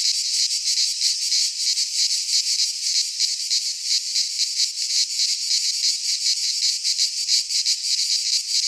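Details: Midsummer chorus of cicadas in a pine forest in Greece, an unbroken shrill rasping drone with fast, slightly uneven pulses riding on it, loud and constant from start to end.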